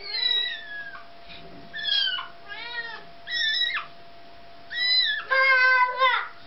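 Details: Kitten crying repeatedly as its mother cat retrieves it from a toddler: a string of about seven shrill, quavering meows, some rising then falling, the last ones loud and drawn out, over a low steady hum.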